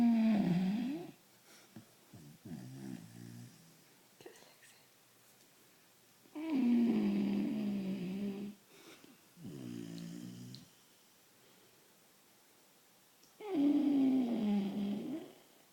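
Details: A sleeping, very tired vizsla puppy snores in long rasping, wheezy bursts of one to two seconds, with a pause of several seconds between most breaths and a few shorter, softer snorts in between, all in a small room.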